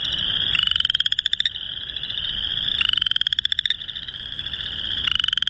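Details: Male Boreal chorus frog mating calls, March 2021, Northern Illinois: loud rising pulsed trills, like a fingernail run along a comb, about every two seconds, over a steady background chorus of more frogs.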